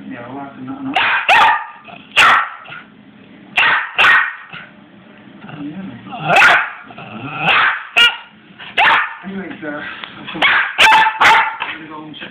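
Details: Excited six-month-old Cairn terrier and Westie cross pup gives loud, sharp barks about every second or two. A person's voice is heard faintly underneath.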